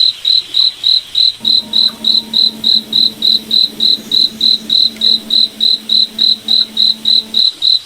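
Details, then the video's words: Steady high cricket pulses, about three or four a second, ring through a moonlit forest at night; a gentle low hum with layered overtones runs under most of the stretch before fading near the end. "Cricket Night Forest Ambience"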